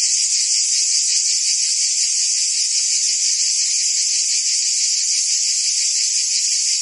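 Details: Cicadas chirping in summer in Provence, France, forming a dense wall of high, metallic buzzing that never pauses, uniform in loudness.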